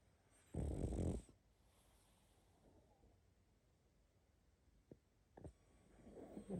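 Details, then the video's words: Sleeping pug with a half-second gravelly snore, then soft breathing, a few snuffling clicks and a rising wheezy breath at the close. "Храп и сопение мопса"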